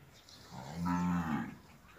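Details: Nili-Ravi buffalo in Pakistan giving a single deep, low moo lasting about a second, swelling then fading, rich in harmonics, with a faint steady hiss in the background.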